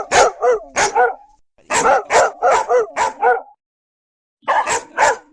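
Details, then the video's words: Ferocious barking said to come from German Shepherd, Labrador and Doberman dogs: sharp repeated barks in quick bursts of two to six, several per second, with short pauses between bursts. "Sons de cachorros latindo: Pastor Alemão, Labrador e Doberman Extremamente Ferozes"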